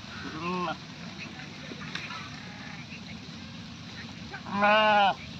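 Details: Goat giving two wavering, harmonic bleats, one short at the start and a louder, tremulous one near the end, separated by steady low background rumble and faint noise.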